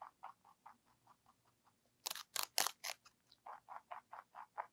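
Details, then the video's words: Bunny ZZ, a pet lionhead and Dutch mixed-breed rabbit, chewing celery: a steady run of soft, quick crunches about four per second, broken midway by a few louder, sharper snapping bites before the even nibbling resumes. "Celebrity with CELERY / ASMR / Eating Sounds"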